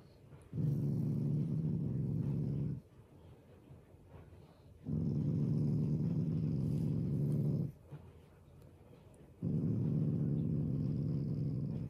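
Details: Affectionate, non-angry growling from a pet Shiba Inu with its family: three sustained low, vibrating growl bouts of about two to three seconds each, split by short quiet gaps.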